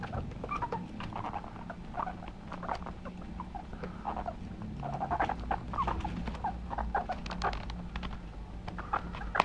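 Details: Household guinea pigs give short squeaks and chirps in uneven bursts over a constant low hum and light rustling.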